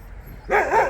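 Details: Jindo dogs on a free walk while a scuffle breaks out between them; a sudden short, two-part yelping bark, loud and pitched in the middle range.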